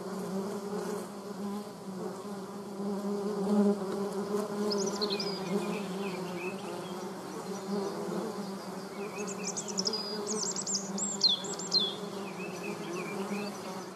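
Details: Honey bees and German wasps clash over water, producing a constant low buzz, while high, thin bird chirps and twittering phrases break in over the drone from mid-clip onward.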